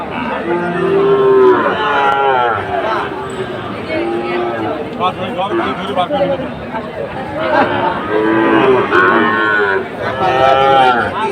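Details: Sahiwal bull calves on sale at a cattle market in Comilla, Bangladesh, 17 August 2024: several drawn-out harmonic moos rise and fall over steady crowd chatter, with a few overlapping bellows near the end.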